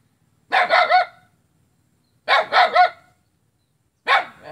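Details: Recorded 5 August 2017 in Kapuas, Central Kalimantan, Indonesia, a dog barks at its own neighbour in rough bursts of three quick barks, each burst about a second and a half apart, ending with a single bark.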